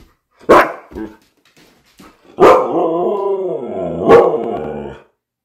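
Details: Siberian Husky named Miko indoors on a rainy day, unhappy at being kept from going out: two sharp barks, then a long wavering harmonic howl-talk with a rise and fall and a final sharp yelp-bark.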